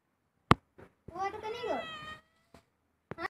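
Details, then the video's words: House cat giving one long, drawn-out meow lasting about a second, a rich, steady tone that wavers slightly midway, framed by sharp tapping clicks before and after in a quiet indoor room. "House Cat talking about your problems"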